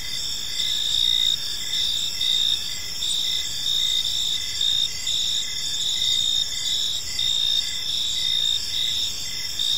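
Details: Evening park chorus of crickets: shrill, high trills overlap in stacked bands, with rhythmic pulses recurring about every second over a quiet, steady low-frequency background.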